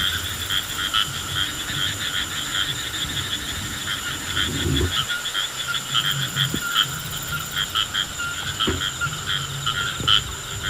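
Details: A rain frog, touched while handled, gives rapid, rattling pulsed croaks like a drum sound, repeated steadily, with a few low handling thumps.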